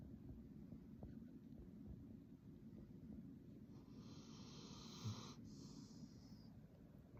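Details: Sleeping Labrador Retriever snoring very loudly: a steady low rumbling drone throughout, with a brief higher hissing breath partway through.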